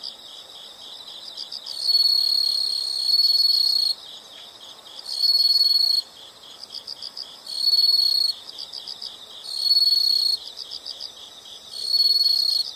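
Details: Insects heard as soothing background sound: bright high continuous trills lasting one to two seconds, starting and stopping in a regular cycle, layered over faint, fast repeated chirps.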